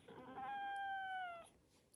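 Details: Cat, a cream-coloured Korean shorthair, giving one drawn-out clear meow that holds a level pitch then slides slightly downward, lasting about a second, in a quiet room.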